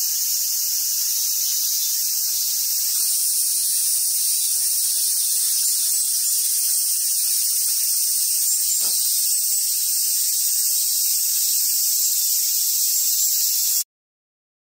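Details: Cicadas in full summer voice at Awaji Island Monkey Center, Sumoto, Hyogo, Japan, with its wild Japanese macaque troop; a flat, hissing drone runs steadily for about fourteen seconds, then cuts off abruptly into silence.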